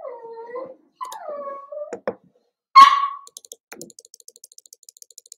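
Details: Cavalier King Charles Spaniel puppies at play in a home puppy pen: two falling tonal whines, a sharp high yelp, then light rhythmic clicking taps like claws on the floor.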